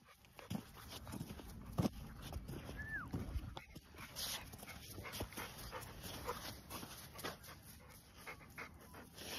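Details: Blue Staffordshire terrier, male, on a morning walk at a dog park, panting steadily amid rustling and footstep noise, with one short high whine that rises then falls midway through.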